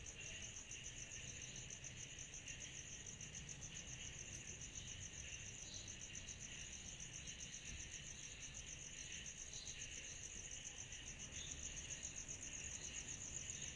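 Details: A steady chorus of cicadas on a summer night, with shrill, pulsing high buzzes layered over a lower continuous hum.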